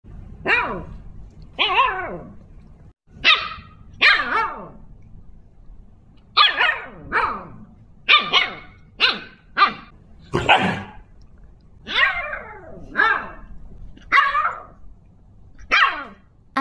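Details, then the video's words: Siberian husky chattering in summer at Nantianhu resort: a dozen short, harmonic, yelping calls that fall in pitch, delivered in uneven bursts about one to two seconds apart over quiet background hum. "Are huskies all chattering?"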